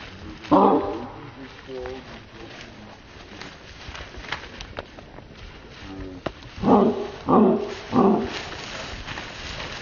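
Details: Great Dane named Anton barking: one loud, deep bark early on, then three heavy barks in quick succession near the end, with people talking in the background throughout.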